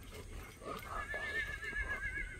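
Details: A horse neighing during a morning walk: a faint, quavering whinny with wavering pitch through the second half, over steady broadband outdoor noise.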